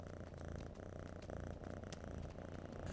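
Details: Lynx and an orange domestic cat purring together in winter, showing they are happy and are pals; a soft, steady low rumbling purr with faint rhythmic pulsing, quiet throughout.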